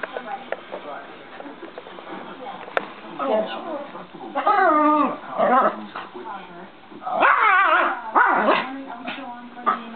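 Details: Two dogs at play, a Pomeranian and a Cane Corso roughhousing together; bursts of high, wavering yips and short barks come in clusters midway and near the end, mixed with human voices throughout.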